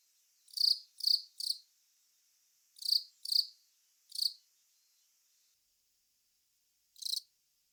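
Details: Velarifictous aspersus cricket, the long-mouthed cricket, calling in short buzzy chirps grouped in threes, then a pair, a single, and after a long gap one last chirp; high-pitched, harsh and pulsed, against a quiet background.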